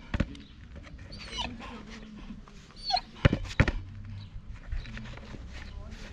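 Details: Mirana, a Rottweiler worked up by her obsession with a ball, gives thin, high whines that slide up and down between short pauses. A person repeatedly tells her no over the whining, with some faint background noise.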